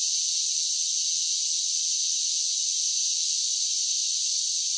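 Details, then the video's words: A constant shrill whirring from cicadas singing in summer, unchanging in pitch and volume from start to finish. No other animals or background sounds. "10 Hours of Cicada Sounds for Relaxation with Soothing Summer Nature Sounds"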